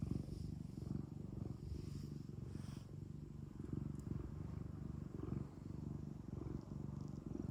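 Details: ['Cat purring at home, a dense low vibrating rumble that pulses quickly and evenly throughout, with faint soft rustling above it.']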